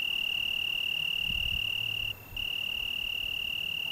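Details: Italian tree cricket in the Algarve, Portugal, on a June evening, giving a sustained pure high trill that stops for a moment and resumes, over low wind rumble.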